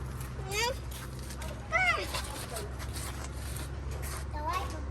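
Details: Rescued abandoned kitten at its first safe meal, making several short, bent high-pitched meows spaced a second or more apart, while people talk in Vietnamese over a steady low hum.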